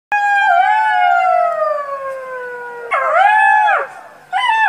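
A golden jackal gives long, clear wailing howls that slide slowly downward, then rise and fall again.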